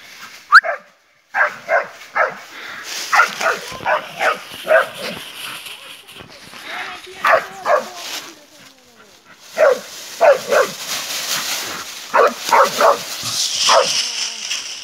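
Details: A Bull Terrier barks in quick, repeated bursts at a wild boar while people talk nearby.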